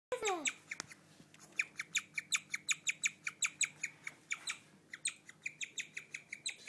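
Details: A female guinea pig chirps like a bird, a rare behaviour, in a fast, steady string of high notes, several each second; the recording's sound quality is poor.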